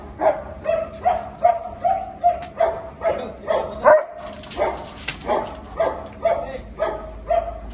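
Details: An angry German Shepherd dog from India gives a steady run of a dozen or so loud, tonal barks, roughly one every half second, briefly interrupted by a clatter midway.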